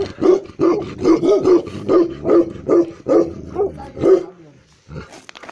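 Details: Deep barking from a black male Tibetan Mastiff (Bhote kukur) in Eastern Nepal: about ten gruff, resonant barks spaced roughly half a second apart, then fading to quiet near the end.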